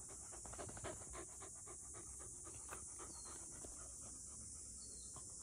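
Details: Panting from Goo, a six-month-old black field Labrador Retriever pup walking with a stick held in its jaws: fast huffing breaths roughly four per second, louder at first, over an unbroken high hiss.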